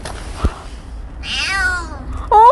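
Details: Petit, a stray kitten, meows twice: a longer drawn-out cry that rises and gently falls, then a sharper, louder mew at the end; a brief knock and steady low background hum, with a voice calling to the kitten around it.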